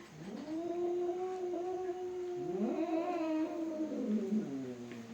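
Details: Fighting domestic cats: steady, low moaning yowls held for seconds, bending up and down in pitch, with a second overlapping voice joining partway through.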